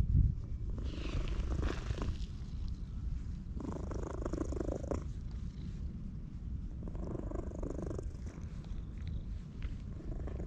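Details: A stray orange tabby cat encountered in a park gives a loud purr while being stroked, recorded on a GoPro HERO8: a constant low, throbbing rumble with three clear swishes of petting across the fur.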